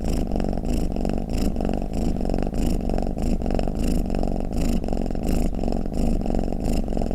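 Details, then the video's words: Cat giving a deep continuous purr, low and rumbling, rising and falling in regular breathing pulses about every half second throughout. "เสียงแมวคราง เสียงกรนของแมว | snoring cat"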